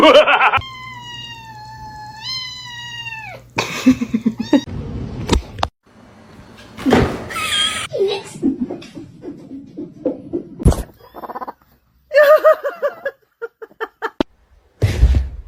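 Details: Kitten meowing: a long, clear, wavering tonal meow with rich harmonics lasting about three seconds, followed by scattered bangs, rustles and brief voices, then short broken sounds and quiet gaps.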